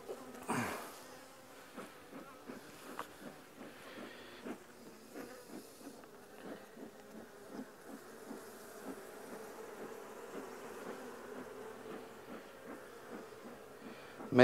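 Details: Colony of honey bees buzzing as nucs are transferred into new hives, a continuous mid-pitched drone dotted with rapid ticking and tapping sounds, a loud knock at the end.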